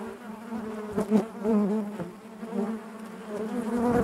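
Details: Close, loud hum of honey bees within the hive, a thick low drone with bright harmonics and a few quick pitch wobbles from bees moving past, steady throughout the short stretch.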